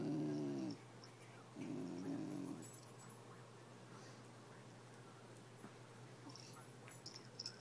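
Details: Kenya the basenji vocalizes at Anchor the toy fox terrier over a toy. Two warbling, grumbly utterances come in quick succession, then a long quiet stretch with faint rustles.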